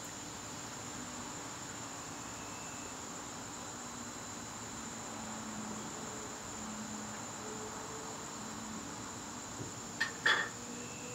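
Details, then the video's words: Crickets in a garden on a September evening, a steady high-pitched trill held without a break throughout, with faint low hum beneath and a brief sharp knock near the end. "garden crickets"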